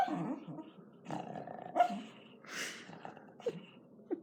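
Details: Pet dog, female, asleep and snoring at home; short raspy snorts and wheezy breaths come in quick irregular bursts, one louder hissing exhale near the middle.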